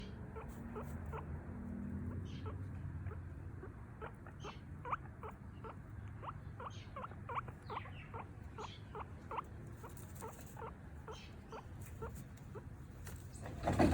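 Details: A female pet guinea pig squeaks in rapid, repeated high chirps, crying while begging for food.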